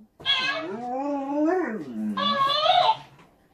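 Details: A Czechoslovakian Vlcak wolfdog meeting a talking toy hamster indoors. A wavering, harmonic howl-like whine dips, rises and slides down over two seconds, followed at once by a shorter, higher-pitched wavering cry.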